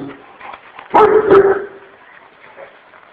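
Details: Very aggressive Kurdish Kangal dog named Sub Zero, wanting to attack, lets out a pair of deep, harsh barks in quick succession around one second, with low background noise before and after.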